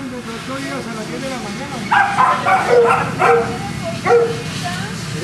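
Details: Boston Terrier barking at a kennel in Jamundí, Cali, Colombia: a low background murmur, then a cluster of four short, clipped barks spread over about two seconds.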